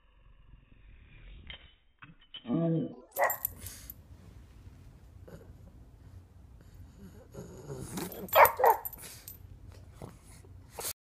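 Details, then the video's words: Pug barking indoors, recorded in slow motion on a phone so each bark sounds deep and drawn out: a low, stretched bark near the start, a sharper one after it, then a louder pair of slowed barks later over a quiet background. "pug barks in slow motion"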